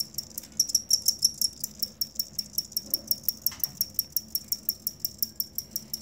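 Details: Soft cricket chirping, intended as tutor material for songbirds: a regular series of short, high, ringing pulses about four per second, a little louder at the start, over a quiet low hum.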